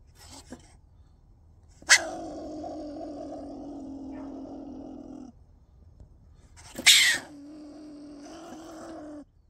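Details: A stone marten, recorded at very close range, gives two rarely heard "demonic" harsh outbursts, each trailing into a long, steady growling wail.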